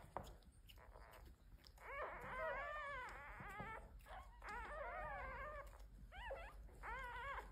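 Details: Domesticated red foxes in a large fox family kept as pets, giving wavering high whines and yelping calls in bursts with wobbling pitch, several voices overlapping, over faint background noise.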